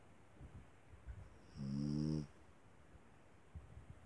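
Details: A small dog gives one drawn-out nasal snore lasting under a second, buzzy and layered with a thin high whistle, then quiet breathing.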